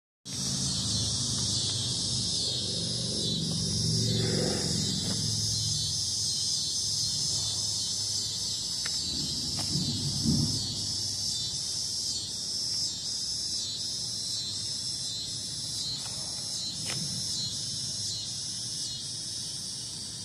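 Cicadas give a steady, high, hissing buzz that pulses slightly throughout.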